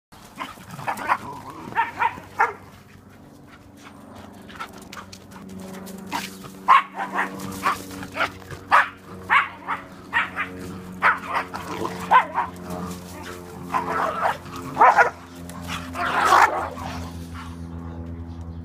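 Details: Airedale Terrier and Welsh Terrier, two dogs running; loud sharp barks repeated in quick irregular bursts, often two or three together, over a steady low droning hum throughout.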